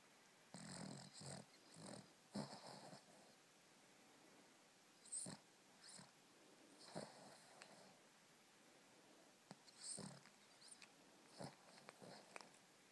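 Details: Sleeping, dreaming two-year-old Cavalier King Charles Spaniel giving soft, irregular snorts and breathy snuffles, short bursts scattered every second or two over a quiet background.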